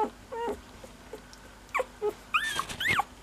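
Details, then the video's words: Cocker Spaniel puppy giving about six short, high squeaks in uneven bursts, some sliding down in pitch, others arching up and down, separated by brief quiet gaps over a low steady background hum. "Squeaky Cocker Baby"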